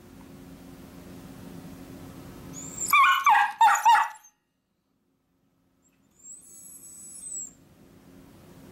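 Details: Miniature Dachshunds give three or four sharp, high, yappy barks in quick succession as their owner leaves for work, demanding to go along. A thin, high squeak follows after a brief silence, over a low background hum.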